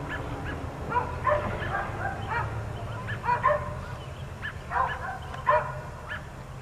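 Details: Dogs kept outdoors all day, one of four, giving spaced barks in pairs and small clusters, about every second or two, somewhat distant, with a faint low background hum.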